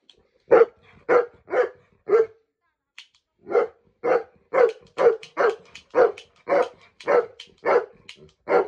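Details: Riley, a Saint Bernard kept as a pet, barking in reaction to being shot with a toy gun: short loud barks in a steady run, about two per second, with a brief pause near three seconds, then a denser burst of barks.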